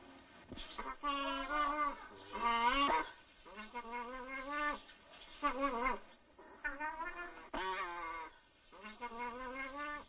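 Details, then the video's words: Mating nutria uttering a series of about six moaning, harmonic calls across ten seconds, each bout wavering and bending in pitch, some rising then falling, separated by short pauses. "Nutria mating"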